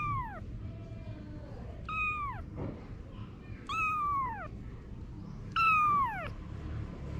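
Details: Domestic cat Anna, a mother with her babies, gives four bright, downward-bending meows, plus one softer, lower and flatter mew early on, against a low background hum.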